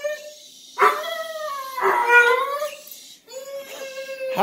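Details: Playful pet dog Petunia calls to Stella with a dolphin-like whine: wavering tonal squeals mixed with short yips, in several bouts over a few seconds inside a room.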